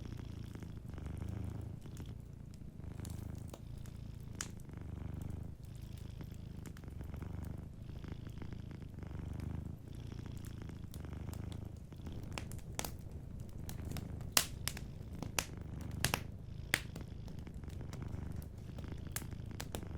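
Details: Soft purring from a sleeping cat by a cozy fireplace, a deep continuous rumble rising and falling in regular breaths every couple of seconds, with frequent crisp crackling and snapping of the fire throughout.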